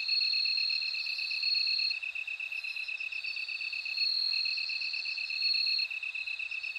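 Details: Ringing bell cricket trills run in long high bursts with brief gaps, overlapping an even, fast train of lower chirp pulses from another insect; a dense night-insect chorus with no other sounds.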